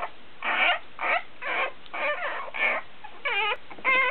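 Week-old Basenji puppies give high, squeaky whines in short bursts, begging to nurse.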